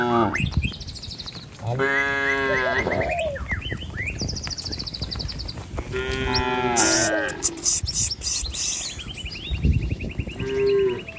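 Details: Village cattle driven along a road through green trees and rice fields toward a truck and pen. Two long, rich moos are followed by shorter bleating calls, set against steady chirping birds and background rumble.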